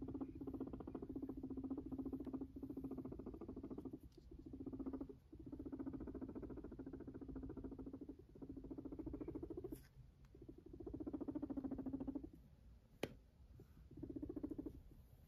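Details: Pet Sheltie guinea pig purring as it walks around indoors: a low, rapid, buzzing purr in bursts of two to four seconds, separated by brief pauses, with soft pattering footsteps and a couple of sharp clicks.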